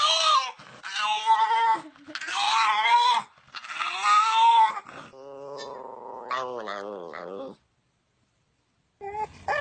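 A dog gives drawn-out, wavering yowls that bend up and down in pitch, like a moaning attempt at talking.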